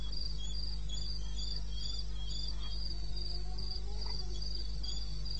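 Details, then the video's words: Crickets chirp through the night in the eastern Botswana wilderness, 2:30 AM in May: quick, regular bursts of shrill pulses, with a droning low hum and occasional faint knocks behind. "1 Hour cricket sound-Africa-No loop-Real recording"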